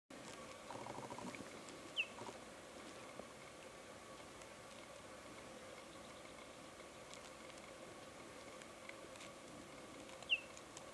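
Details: A female cheetah and her four cubs call one another on safari at Marataba Safari Lodge: two brief, high, bird-like chirps spaced several seconds apart over a steady background hiss; finding: Cheetah.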